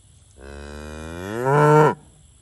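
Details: Single moo from Limousin and Angus cattle out in the pasture, a rich low bellow that starts soft, grows louder and climbs in pitch during its final half second before cutting off.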